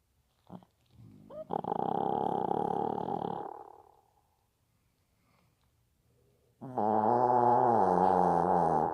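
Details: Pet Maltese snoring: two long, droning, buzzy snores of about two to three seconds each, separated by a quiet pause, with a faint short sound before the first.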